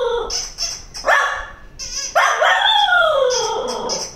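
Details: A Cocker Spaniel reacting to a squeaky toy gives a sharp rising yip and then a long, falling whine between high squeaks from the toy.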